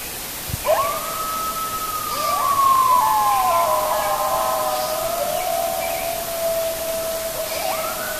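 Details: As night falls at Hokyoji, coyotes erupt in song, howling in long, wavering, overlapping tones, one voice sliding upward near the end.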